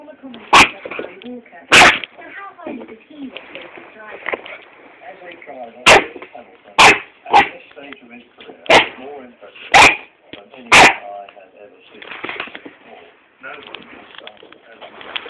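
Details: A 10-week-old Staffordshire Bull Terrier puppy barks at a phone, giving sharp, high yapping barks spaced unevenly over quiet background voices.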